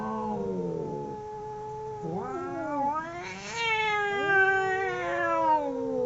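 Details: Two domestic cats howling while fighting: long, wavering, overlapping yowls, one voice low and steady, a second voice breaking in with a rising, quavering wail after two seconds, both sustained and strained.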